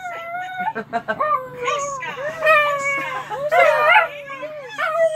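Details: Small female dog howling along to the Mickey Mouse Clubhouse theme tune; wavering, drawn-out rising and falling howls over the playing music, with some voices mixed in.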